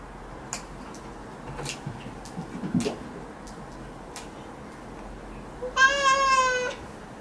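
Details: Domestic cat indoors having its claws trimmed; after a few seconds of quiet with soft clicks and handling noises, it gives one clear, slightly falling meow lasting about a second near the end.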